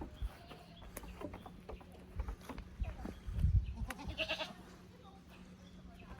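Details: Young goats from the lower pasture at Yoshigake goat farm visit the upper pasture on 15 May 2024, unsettled in the unfamiliar place. A short harmonic bleat rises briefly amid low rumbling, thumps and faint background voices.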